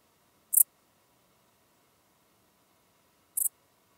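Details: Common dark bush-cricket chirping in Tuttlingen, Germany, on 8 October 2022: two short, high, scratchy chirps about three seconds apart against a near-silent background.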